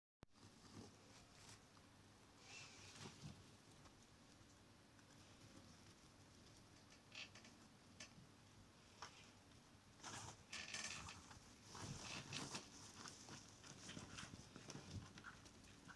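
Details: Four gerbils crunch and rustle through dry meadow hay in quick, irregular bursts over a low background hum.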